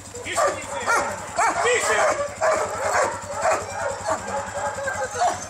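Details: Siberian Huskies kept at a kennel, visited on a bus excursion on 25 November 2012: several dogs give overlapping yelping barks and short howl-like yips in rapid, uneven bursts, with human voices mixed in.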